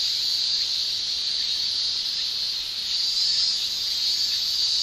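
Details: Shrill tymbal song of male Japanese cicadas in summer, a steady high-pitched buzzing sheet of sound that brightens and grows a little louder toward the end, uninterrupted throughout.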